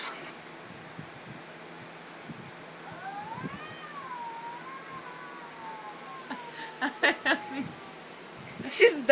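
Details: Mother cat upset by light saber sounds and ready to fight gives a drawn-out, wavering tonal yowl lasting about three seconds, dipping and rising. Sharp clicks and rustles follow, and a person talks nearby.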